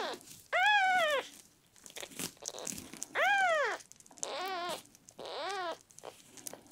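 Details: Miel, a sick red tabby and white male kitten rescued at one day old, cries while being treated for constipation; four loud, arched mews, each under a second, spaced about one to two seconds apart, indoors.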